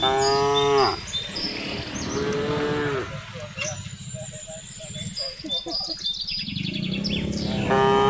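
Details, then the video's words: Village cattle herded home in the afternoon, mooing to the herd: a short moo, a longer lower moo, then a gap filled with bird chirps and rumble before another moo begins at the end. "suara sapi memanggil kawanan"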